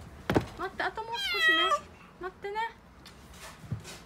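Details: Frightened young female calico cat in Okinawa crying as delivery men carry in a new fridge: a string of loud, wavering meows, some drawn out and falling, with a woman talking and knocking noises.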